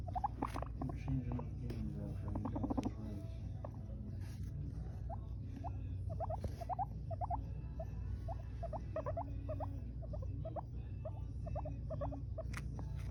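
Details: An Abyssinian guinea pig having fun making noises gives a run of short, bright squeaks over a low steady hum.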